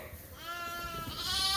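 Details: Suffolk lambs at Ewetopia Farms, mixed into one big group in the barn after a gate was left open; a single drawn-out harmonic bleat holds steady then brightens toward the end, over low barn rumble.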